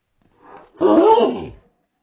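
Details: Hiccuping dog letting out a bark slowed to slow motion: a soft low lead-in breath, then a single long, roaring, lowered bark about a second long, indoors.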